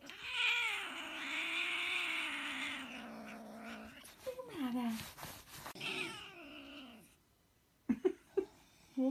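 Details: A hairless Sphynx cat, bothered by its owner, gives a long, drawn-out angry yowl, then shorter wavering cries.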